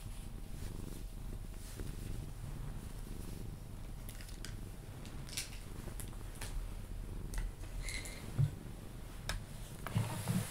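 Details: Cuddled Sphynx cat Pepe keeps up a low, even purr as it settles toward sleep indoors; sharp intermittent clicks and a couple of soft kiss-like sounds occur over the rumbling.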